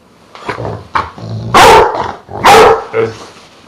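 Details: Truus, a pet dog that is three quarters Dogue de Bordeaux and one quarter Rottweiler, gives two loud, deep, booming barks about a second apart, preceded by softer short huffs and low grumbles.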